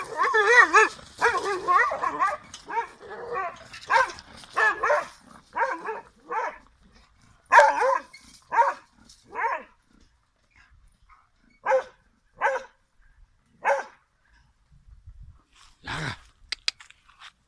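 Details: Leonberger guarding its property, barking in a fast run of harsh rough barks at first, then slower single barks spaced one to two seconds apart, with brief human speech.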